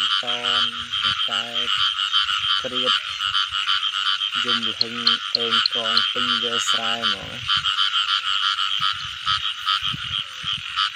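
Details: Frogs in the rain season, with an unbroken buzzing chorus behind clusters of deeper, rich tonal croaks in rapid groups during the first seven seconds, then only the chorus and faint knocks.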